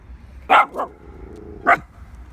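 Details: A female Pomsky waiting by the water barks at ducks that won't come play: three sharp, mid-pitched barks, two in quick succession and a third about a second later, over faint background hum.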